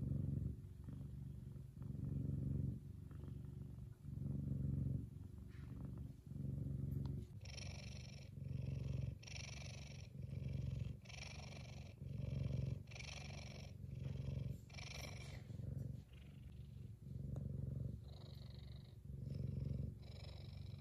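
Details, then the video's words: Loud contented purring from Kumba, an F2 Savannah cat described as very happy; low rumbling cycles repeat every second or so, and from midway brief breathy higher bursts ride along with each cycle. "Big Cat Kumba Is One Happy Purring Boy!"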